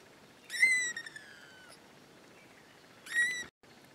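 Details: Two drawn-out, high, harmonic cries from one of four kittens in a new litter, each sliding gently downward, separated by a pause of about two seconds, against a quiet background.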